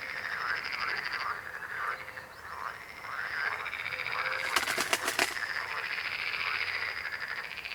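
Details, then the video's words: Croaking frogs in a full chorus, rasping pulsed calls in overlapping waves, broken near the middle by a brief burst of sharp clicking. "Rechot żab. Croaking frog sound."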